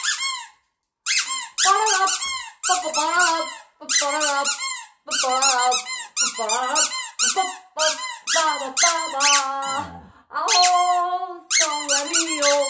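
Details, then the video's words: Pet dogs Tatu and Kkungjji, a Siberian Husky and a Shiba Inu, 'sing' along to the Korean national anthem: wavering, high squeaky yowls in short bursts separated by brief pauses, with music playing underneath. "노래를 부르는 댕댕이들이 있다!?"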